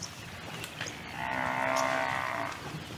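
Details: A European bison (wisent) gives a single drawn-out, moo-like bellow that swells and fades over about a second, against a faint background hiss.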